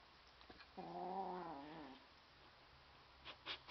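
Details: An 11-week-old male lilac point Siamese kitten growls at a toy butterfly: a drawn-out, throaty growl, steady for about a second before sagging lower.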